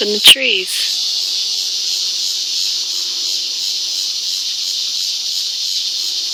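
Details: A cicada gives a steady, high-pitched buzz with a faint pulsing throb, heard from a kitchen in Colorado and louder than the sounds in the house, after a brief human voice.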